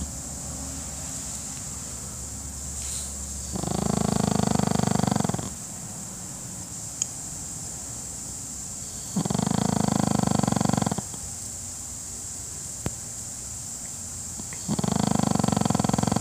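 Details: Pekingese dog asleep during a nap, giving three loud, rattling snores of about two seconds each, spaced roughly five to six seconds apart, with quiet breathing pauses and a low steady hum between.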